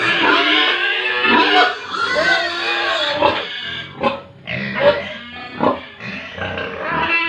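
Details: Pigs and piglets on a Tripura farm squealing in a steady overlapping chorus of shrill, wavering harmonic cries, with sharper louder squeals standing out roughly every second in the latter half.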